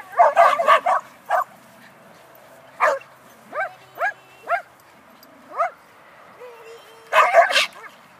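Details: Tug-it, a red Border Collie puppy, during positive clicker-based training: a quick cluster of sharp, high yips, then single arching yelps spaced about half a second to a second apart, closing with another dense burst of barking.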